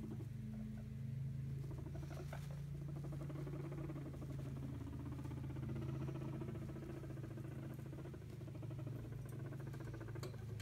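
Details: Hairless guinea pigs, female, rumble strutting indoors as a sign of dominance, meaning back off or annoyance, which can precede a fight; a steady low buzzing purr-like rumble with fast pulsing runs throughout, with faint rustling on top.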